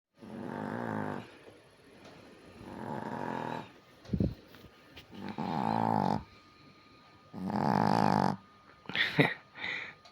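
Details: A relaxing Chihuahua with its eyes open snores in long, rasping, rumbling breaths, each about a second long and repeating every few seconds.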